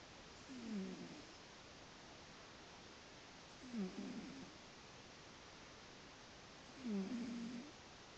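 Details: Sleeping cat named Miles snoring: three low, harmonic breathy rasps about three seconds apart, each under a second long, in a quiet indoor setting.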